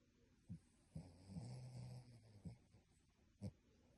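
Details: Dog asleep, snoring in a human-like way; a short low snore stretches over about a second, framed by brief snorting breaths, in a quiet room.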